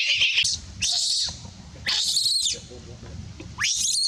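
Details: Monkey giving big, loud screams for help: four harsh, shrill bursts, some arching up then down in pitch, with brief quieter gaps and low background rumble.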